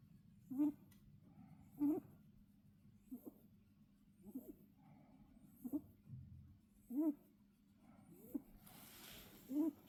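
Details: Rabbit snoring in sleep: soft squeaky nasal puffs at irregular intervals of roughly one to one and a half seconds, with a brief rustling hiss near the end.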